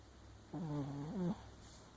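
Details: Papillon Chihuahua asleep and dreaming with one eye open, giving a single soft nasal whimpering breath under a second long, slightly rising at the end, over a low steady room hum.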